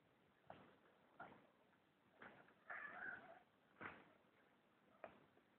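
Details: Persian cat, a pet that will not leave its owner's arm alone, gives a soft, drawn-out mewing cry near the three-second mark, framed by brief muffled knocks and a steady low hiss.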